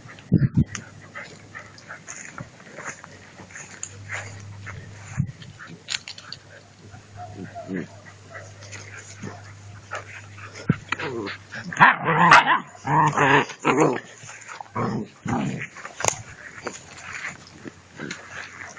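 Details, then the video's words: Two-month-old puppies playing with a rag during prey drive training; quiet scuffling and a low steady hum give way midway to a run of loud, harsh growls and yelps before fading into scattered bursts. "Puppies playing whit a rag - pray drive training"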